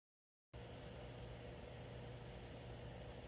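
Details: A cricket kept indoors and given a new home chirps in two short bursts of three high, clear pulses each, about a second apart. A steady low hum runs underneath, and the recording begins with half a second of silence.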